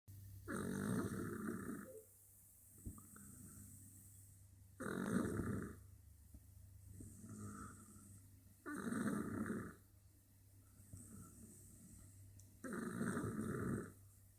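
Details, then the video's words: French Bulldog napping, snoring steadily: long raspy broadband snores about every four seconds, each lasting over a second, with quieter wheezy breaths between them and a faint steady hum in the background. "Sieste du bouledogue français ... Ça ronfle ..."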